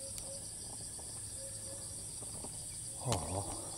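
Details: Cicada in Thailand, filmed from a distance with a monopod, repeatedly flying to new perches and resuming its call on landing. A steady, shrill high-pitched buzzing drone runs throughout. Faint short low notes recur, and a dull knock sounds near the end.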